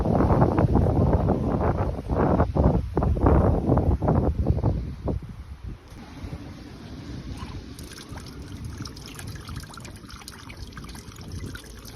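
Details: Strong wind roars and rumbles on an evening walk as a typhoon approaches, with gusty broadband rushing and no animal voice.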